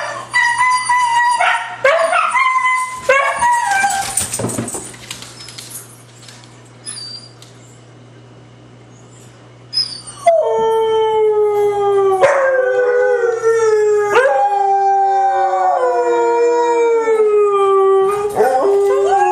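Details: Three white huskies sing along: an opening of yips and whimpering cries, a quieter pause of several seconds, then a sustained howling chorus with steady tonal voices slowly falling in pitch.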